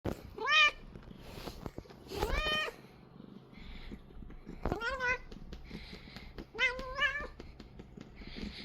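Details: Domestic Korean shorthair cat being massaged indoors, giving strange drawn-out meows: several harmonic, rising-then-falling cries in quick pairs with quiet gaps and soft handling noises between.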